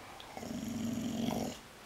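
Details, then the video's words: Chomsky, a female dog indoors being taught on command the difference between barking and growling, gives a low, steady rumbling growl lasting about a second, held at an even pitch, with soft room noise before and after. "bark and growl"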